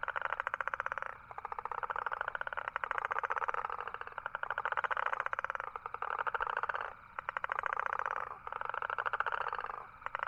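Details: Toad calling in a steady series of rapid pulsed trills, each burst lasting about one to one and a half seconds and separated by brief pauses, about seven trills in all, with no other sounds.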